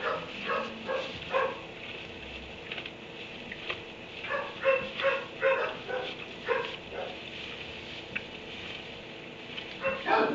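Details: Kennelled dog in a barn at 3 a.m. on March 30, 2017, giving rapid uneven barks, sometimes in quick pairs, with slight whimpering tones, set against constant low hiss.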